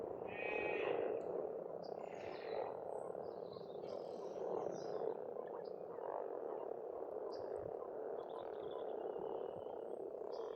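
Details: A massed chorus of frogs at an Estonian farm pond in spring, steady rattling croaks blending into one continuous drone, while a few birds add short, faint chirps and trills.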